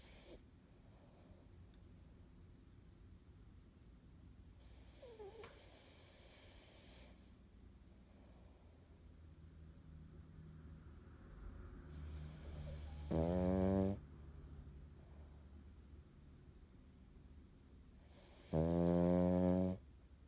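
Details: Cavalier King Charles Spaniel named An snoring while asleep indoors: two loud, buzzy, harmonic snores near the end, about six seconds apart, after a long stretch of soft breathing and a faint squeak early on.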